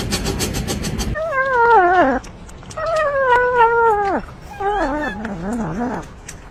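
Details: Domestic cat from a funny cat compilation giving three drawn-out, wavering meows, each about a second long with rich harmonics, the last dipping lower and more warbled, after a burst of rapid pulsed noise at the start.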